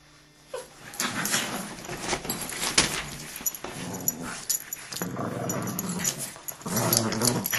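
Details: Dogs wrestling in a fight indoors, starting quiet, then steady low growls and snarling with scuffling and panting that grow louder toward the end.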